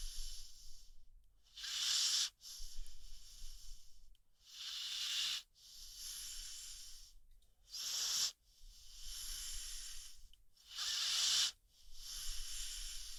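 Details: Sleeping American Pit Bull Terrier named Rocky snores in long hissy, wheezing breaths, each a loud rush of air lasting one to two seconds, returning about every three seconds with near-silent pauses between.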